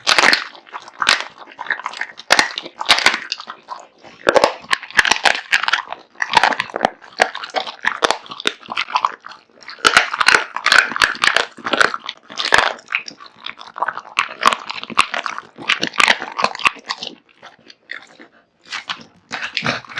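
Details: American Bully named Kotetsu, a male born 2016, devouring a big meal of raw meat and bones; dense crunching and biting, irregular bursts of chewing with brief pauses, indoors.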